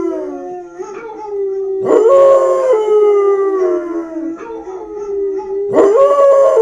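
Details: Elvis, a Basset Hound about one year old, howls in long sustained tones that waver and slide, with loud renewed bursts starting near two and six seconds, each dropping back into a steadier drawn-out note.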